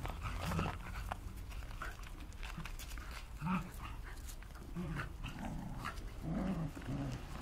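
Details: Bedlington terriers named Brenda, Ciapek and Nancy playing with a piggy toy; low rumbling play growls recur throughout, with squeaky toy-like bursts, panting and rustling.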